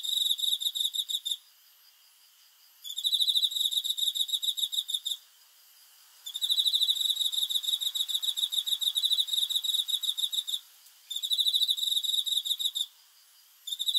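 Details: Night-time cricket song in four bursts of fast, shrill, regularly pulsed chirping, each lasting about two to four seconds, separated by short silent pauses of roughly one to one and a half seconds.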